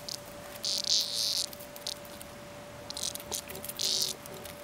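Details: A cicada gives harsh, rasping bursts of buzzing that start and stop irregularly while a cat plays with it.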